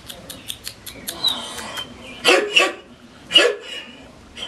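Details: Six-week-old Collie puppies yelping: a few short, sharp, high-pitched barks in quick succession near the middle, over faint ticking and scratching sounds and light background noise.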